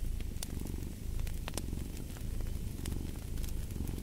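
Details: A cat purrs in a thick, low vibrating drone with regular breath swells, accompanied by scattered snapping pops of a crackling fire.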